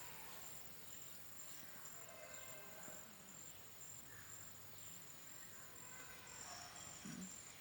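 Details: A green insect makes a faint, high, thin buzz that pulses steadily over soft background hiss.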